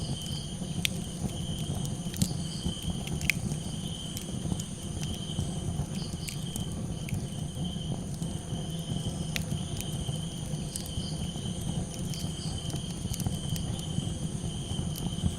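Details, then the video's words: Night crickets keep up a continuous thin, shrill trill over a campfire, broken by scattered snapping crackles and a steady low roar of burning wood. "Campfire Crackles 🔥 & Cricket Calls"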